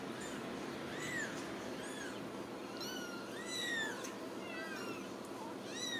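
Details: Several Ragdoll kittens, born and raised in a home cattery in central Kansas, meowing in short high arched calls that overlap one another, some rising then falling, over a low room hum.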